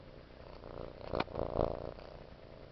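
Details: A cat purring indoors: a soft, continuous low rumble throughout, swelling briefly around the middle with a few louder pulses, then settling back to a steady hum.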